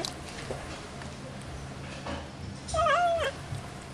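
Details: A playful domestic cat gives one short wavering meow near the end, dipping then rising, over a steady background hiss with faint clicks.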